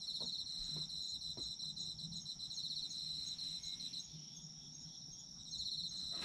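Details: Several autumn insects: a shrill steady tone plus fast pulsed trills that pause briefly near the end and resume, with occasional faint clicks in the background.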